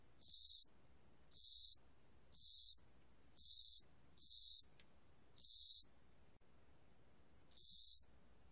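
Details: Korean spring-and-summer cricket producing high buzzy chirps, six in quick succession, then a long pause before one more; quiet surroundings with a faint click.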